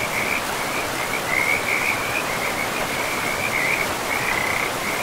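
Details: Forest frogs along a river keep up a continuous high, rattling chorus, with a few louder bursts near the middle, laid over the even hiss of running water.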